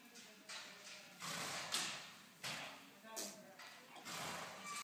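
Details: A horse making fart-like noises with its mouth: breathy, sputtering bursts of broad, hissy noise, each lasting about half a second, come five times in under five seconds with short pauses between.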